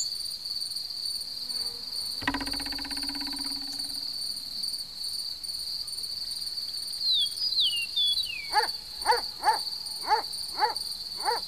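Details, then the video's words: Cricket giving a steady, unbroken high-pitched trill throughout, with a single knock near the start and a series of short, evenly spaced harmonic calls from another animal repeating about every half second toward the end. "cırcır böceği"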